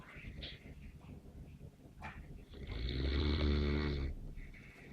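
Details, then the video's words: Snoring Neapolitan Mastiff, a single drawn-out, low, throaty snore lasting over a second, preceded by faint breathing and a short snuffle. "Snoring Mastino"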